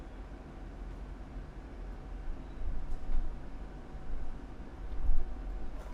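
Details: Only a dull low-pitched rumble fills the recording, swelling slightly at times like passing vehicles or indoor hum. No animal voices can be picked out.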